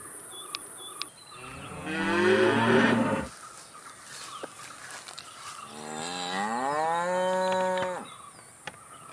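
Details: Two moos from cattle: first a harsh, noisy, bellowing low, then after a pause a smoother, rising-then-level tonal moo of about two seconds, with scattered clicks and a faint high hum.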